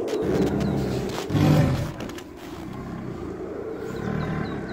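A tiger's low, throaty roar rumbles along, then swells into a short, louder growl before settling back. A faint hum like distant traffic runs underneath.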